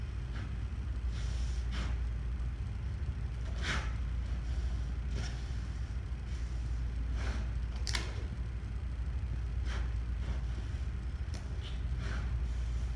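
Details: Feeding on termites, the sloth bear Niko repeatedly blows away debris and then sucks up insects, giving a long run of forceful breathy puffs and snuffles every second or so above a persistent low drone.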